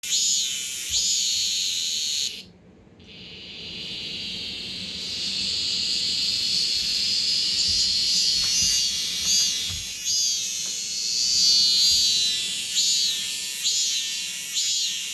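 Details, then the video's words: Many male cicadas, fifteen caught outdoors by a child, calling together indoors in Korea in summer: a dense, loud, high buzzing chorus with rhythmic pulsing swells, briefly cut off near the start before resuming. "집안에서 참매미 울음소리가!!!😱😓15마리 떼합창"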